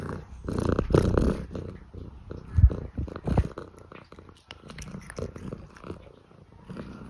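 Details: Scottish Fold cat asking for food: a deep, rumbling purr with short, louder throaty bursts around the first and third seconds, then softer pulsing rumbles to the end.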